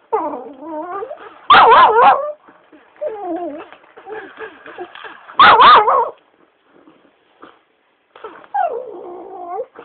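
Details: Shiba Inu dog, a pet being pestered by its owner, giving wavering, warbling whines that rise and fall, broken by two loud harsh yelping bursts about four seconds apart, with quieter moaning between.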